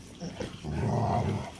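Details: Rottweilers in a big fight: a deep, rumbling growl swells after a short quiet start and holds steady, with scuffling noise at the beginning.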